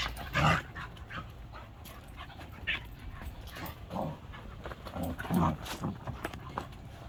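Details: A 20-week-old Portuguese Water Dog puppy gives soft, breathy huffs and brief whimpering bursts, several short sounds spread over a few seconds against quiet indoor background noise.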